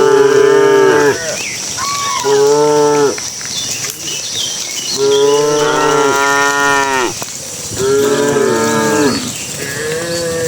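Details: Dozens of cattle herded into their pen as evening falls; four long, loud, bending moos from several animals overlapping, separated by short pauses, with birds faintly audible.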